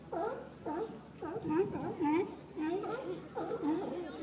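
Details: Sea lion in San Francisco giving a run of harsh, wavering, tonal barks in short bursts about every half second, each bark bending up and down in pitch, with a steady background hum.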